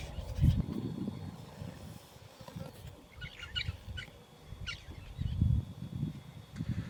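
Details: Deep rumbling, pulsed grunts from a hippopotamus living in the water at Scotia Dam, Idube Game Reserve, in two bursts at the start and near the end, over faint chirps of birds.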